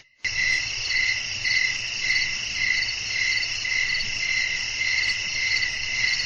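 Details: Night-time cricket chorus with blowing wind: shrill, continuous high chirps pulsing in regular beats, layered trills above a faint low hum, starting after a brief silence.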